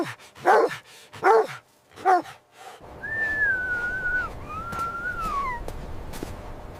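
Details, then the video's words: Mother dog and puppies at play in fresh winter snow; three loud, ringing barks in quick succession, then a long, wavering whistled tone over a steady hiss. "Beautiful puppies playing with mother dog on snowy ground – Dog barking sounds"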